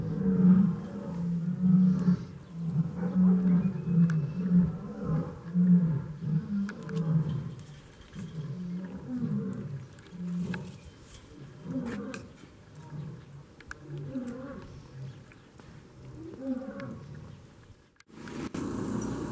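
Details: Lion roaring at a zoo in Iran, beside a caged chimpanzee that shows no fear; deep low grunting roars in a long series, spaced roughly every second and fading, followed by a voice speaking Persian.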